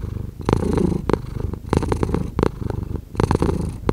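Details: Domestic cat purring up close, a low rumbling drone with brief brighter bursts roughly every half to one second as the breath cycles, in a quiet indoor setting.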